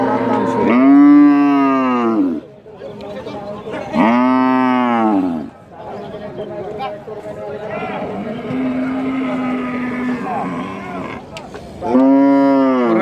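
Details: Dairy cows at Rajshahi City Hat cattle market on 6 February 2019 give long, deep moos that rise and then fall away, amid a busy market murmur.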